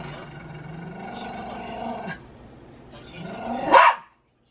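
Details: Dog reacting while its owner pretends to hit a baby in front of it: a drawn-out low moaning growl, a pause, then a rising whine that ends in one sharp, loud bark before silence.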